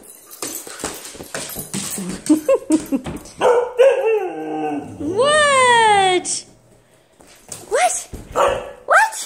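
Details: Nala, a pet husky, acts wild and playful indoors. Short yips and grumbles build into a long, drawn-out vocal howl that rises then slides down, strongly harmonic. Quick rising yelps follow, and a person talks in the background.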